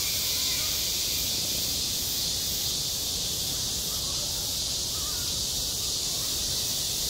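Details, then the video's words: High-summer cicadas on a school playground produce a constant, intense high buzzing hiss without pause, over soft scattered lower-pitched sounds. "한 여름 운동장에서 매미가 울고 있다 - 여름의 소리, 학교 종소리, 매미 울음소리"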